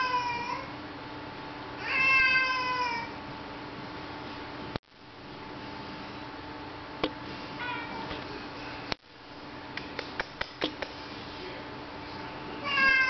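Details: Mooch, a pet cat, meowing to be let outside in the rain; one long meow early, fainter brief calls mid-clip, several sharp clicks, and another meow starting at the very end, over steady hum.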